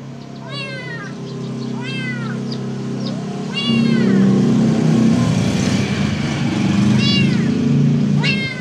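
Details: Khao Manee cat with golden eyes looking outside, giving short rising-falling harmonic meows at about 0.5, 1.9, 3.7, 7.0 and 8.5 seconds, over steady low background hum that grows louder midway.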